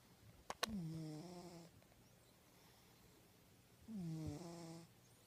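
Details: Cat in deep sleep giving two snores about three seconds apart, each a low buzzy rattle that dips in pitch at the start and then holds steady for roughly a second, with a faint click before the first.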